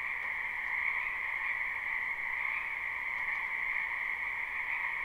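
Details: Many frogs croaking in a spring wetland behind a house, recorded live without looping; a dense, unbroken chorus forms two steady droning bands, one middle-pitched and one higher, with faint pulsing and no other clear sounds.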